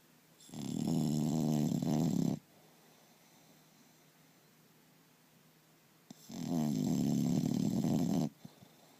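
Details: English Bulldog snoring loudly indoors: two long rasping snores about two seconds each, separated by a quiet pause of nearly four seconds, with a low rattling, vibrating tone.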